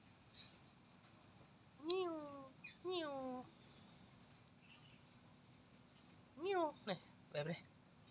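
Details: Cat giving a series of clear meows, each rising then sliding down, with two in the first half and a quicker cluster of three near the end, in a quiet room.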